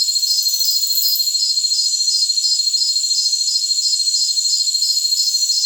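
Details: Jungle crickets in a dense, shrill chorus: a steady high buzz overlaid by evenly spaced pulsed chirps, roughly three per second, with no low sounds.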